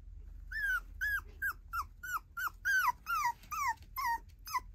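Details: Tiny poodle girl puppy whining steadily: about ten high, drawn-out yelps that rise slightly and then slide down, spaced roughly half a second apart in a quiet room.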